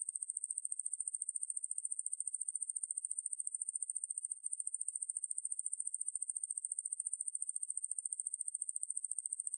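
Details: Conehead katydid Ruspolia lineosa, in a 2020 National Institute of Biological Resources recording, sings a steady high-pitched buzzing trill of fast regular pulses, about fourteen per second, unbroken apart from one tiny hitch midway, in silence.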